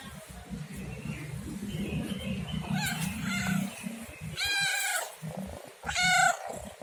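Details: A domestic cat gives two clear, rising-then-falling meows near the end, after several seconds of low background hum and faint rustling.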